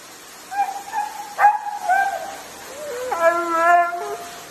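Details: Husky vocalising in a talkative way, starting with drawn-out, slightly wavering tones broken by a sharp yip, then ending in a long, steady, harmonic-rich howl-like note that wobbles in pitch.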